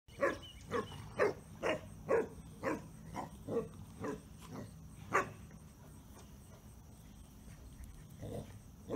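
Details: A Basset Hound gives a run of deep, hoarse barks, roughly two each second, then pauses.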